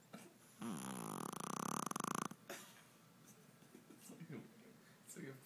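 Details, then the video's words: Exhausted after a day with no naps, Stella the 5 lb Shih Tzu lets out a long vibrating snore with a fluttering rattle near its end, followed by faint sniffly breathing; a human voice is briefly audible. "Stella snoring hard"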